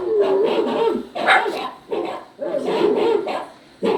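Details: Poodle puppy crying and yowling while an adult poodle listens: drawn-out, wavering mid-pitched whines in three bursts of about a second each, separated by short pauses, with the last cry just starting.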